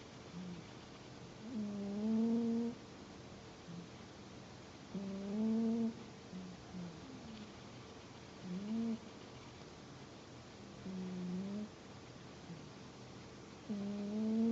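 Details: Sleeping house cat giving a series of whistling, humming snores, each breath a low rising tone lasting about a second, recurring every three seconds or so, with quiet room hiss between.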